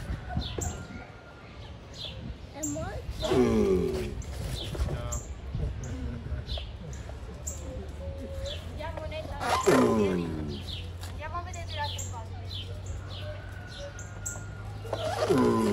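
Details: Giant tortoises mating: a loud, harmonic groaning grunt that falls in pitch comes about every six seconds, three in all, over steady low hum and small bird chirps in the background.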